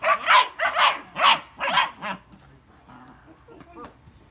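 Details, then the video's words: German Shepherd puppies in an argument give five loud, evenly spaced yappy barks over two seconds, then fade to faint, soft whimpers and low noises. "GERMAN SHEPHERD PUPPIES ARGUING OVER LIFE LOL!!"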